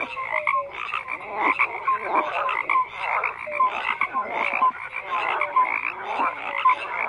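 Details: Many frogs croaking together: rapid rasping croaks rise and fall in bursts every second or so, short clear rising notes pop out repeatedly, over a continuous high trilling background.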